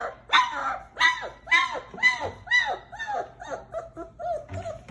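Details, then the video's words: Three-week-old German Shepherd puppy, a singleton, making cute noises: a rapid run of high, whiny yelps, each bending up then down, about two per second, fading softer toward the end. "German Shepherd Baby 3 Weeks Old Making Cute Noises!!"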